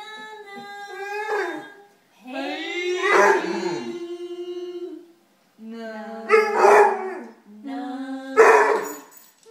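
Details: Basset Hound howling along to the song Hey Jude: four long, wavering, tonal howls, each swelling and bending in pitch, separated by short pauses, with the music playing underneath.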